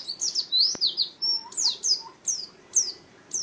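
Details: Caged pet white-eye kept as a singing contest bird, a champion songster, giving high thin chirps that slide downward, in short bursts with brief pauses, over a faint low background hum.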